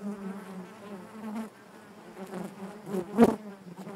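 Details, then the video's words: Low, even buzzing of honey bees inside the hive, softening briefly after the first second and a half, then a sudden sharp knock-like burst just past three seconds over the drone. "bees therapy hive natural buzzing sound"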